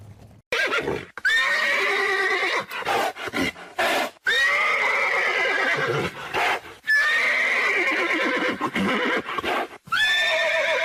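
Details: Horse neighing in loud, drawn-out whinnies that start high and wavering then fall and fade, three long calls separated by brief silences, with faint hoofbeats.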